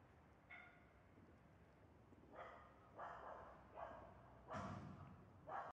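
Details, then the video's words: A cat meows repeatedly, asking for food it knows is in a bag nearby. "Cat meow because it knows that in my bag the food 37"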